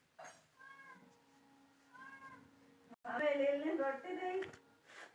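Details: Domestic cat that wants to sleep gives two soft, evenly pitched meows, then a louder drawn-out wavering meow after three seconds with a steady faint hum in the background.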